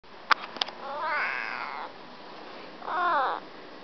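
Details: A pet cat just woken up makes sleepy noises indoors: two soft, wavering meows about two seconds apart, with a few clicks at the start.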